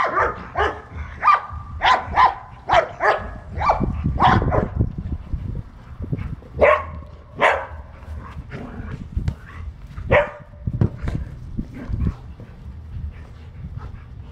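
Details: Priya, a blue-eyed Australian Shepherd, barks while playing soccer: sharp, loud barks in quick bursts, some clustered two or three together and others spaced a second or more apart, over low thumping background noise.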